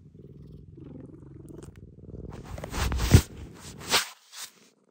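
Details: Rescued pet cat Maroshiro, the household's senior cat, seeking affection kitten-style; soft rhythmic purring for two seconds gives way to loud rustling and thumping handling noises.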